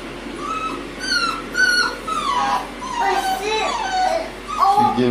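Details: American Bully puppy whining in a run of high, thin whimpers and short yips that rise and fall, several in quick succession, while people talk nearby indoors.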